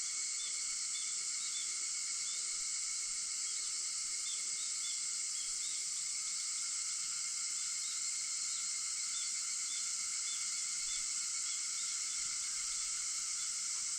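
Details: August 4, 4:50 a.m.: cicadas fill the air with an even, shimmering high drone that never breaks, several sustained whining tones beneath it and occasional faint chirps.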